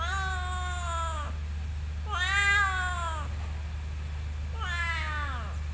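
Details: Meowing cat at a motorbike parking lot, three long wailing calls with a slight arch then downward slide, evenly spaced about two seconds apart, steady low hum in the background.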